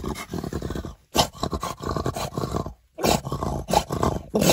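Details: French Bulldog in an outraged state, with harsh, gravelly grumbling growls in long bursts separated by two brief silences, the last stretch louder and rougher.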